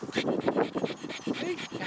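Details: Arthur, a terrier cross rescue dog up for adoption, after a run playing with a ball: rapid, breathy panting in quick regular bursts about four per second, with no voices over it.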